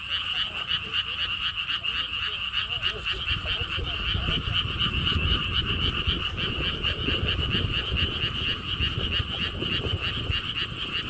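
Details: Along a stone wall path at the Siheung lotus theme park in South Korea, frogs keep up a fast pulsed croaking chorus in two bands while gusts of wind rumble strongly underneath from midway on.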